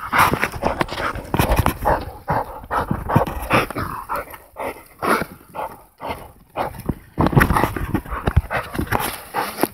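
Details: American Pit Bull Terrier. An American Pit Bull Terrier barks in short, deep-chested bursts, some close together and some spaced by brief pauses. A person's voice and laughter can be heard nearby.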